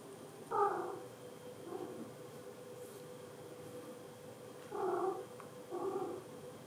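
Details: Father cat, furious on meeting the kittens for the first time, gives three short harsh mid-pitched vocalisations, one near the start and two close together near the end, indoors against a steady background hum.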